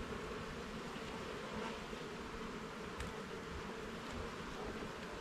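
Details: Steady, thick hum of many honey bees while a garden hive is inspected frame by frame; the droning buzz stays level throughout, with faint light clicks.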